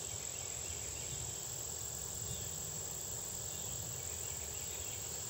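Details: Red-headed bush cricket (Phyllopalpus pulchellus) with other insects, recorded in 2010 at the State Botanical Garden of Georgia in Athens, USA: a steady, unbroken high-pitched trill that runs throughout over a low background rumble.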